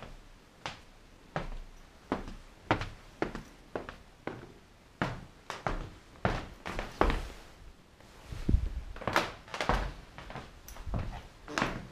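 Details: Indoor dull thumps and knocks, like footsteps and a door, with no animal voice.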